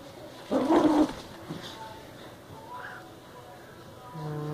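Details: Yorkipoo playing tug-of-war indoors, one loud rough growling burst lasting about half a second, followed by quieter room noise and a steady low hum near the end.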